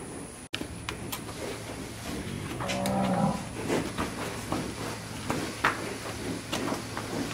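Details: Brahman cattle handled in pens on a ranch; a sharp bang opens, then one mid-length moo amid frequent metallic clanks and clatter of handling equipment.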